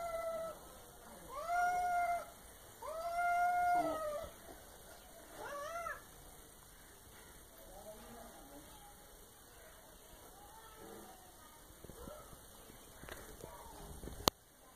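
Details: Pet cat giving three drawn-out, tonal meows in the first six seconds, each rising then bending down, followed by softer faint mews and rustling, and a sharp click near the end.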